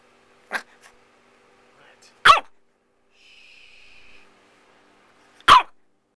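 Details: Bella, a pet dog wanting to play early in the morning, gives three sharp, loud barks spaced about two seconds apart indoors, with a brief steady hiss between the second and third.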